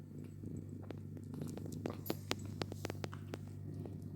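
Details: Domestic cats with their kittens: a soft, low rumbling purr runs steadily underneath, broken by many sharp clicks and taps, with a constant low hum in the background.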